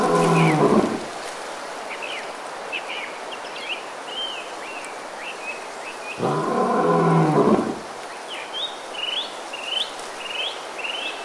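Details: Sundarbans mangrove, India, with Bengal tigers: two short, harsh roaring bursts about six seconds apart, the gap filled by a steady chorus of quick, chirping birdcalls.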